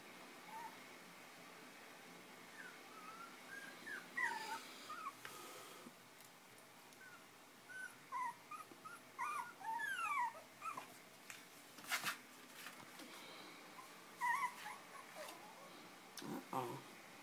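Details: Chinese Crested puppies five weeks old, fostered with their mother via Almost Home No Kill Animal Rescue, play and nurse; scattered high squeaks and whimpers come in bursts amid rustling and bumping noises.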